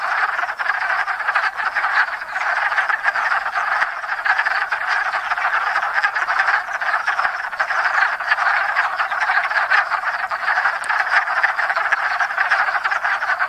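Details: Hundreds of wood frogs mating at a woodland pond in Enosburgh in spring, later leaving egg rafts; thick, even chorus of grating, quacking croaks from countless frogs, no gaps.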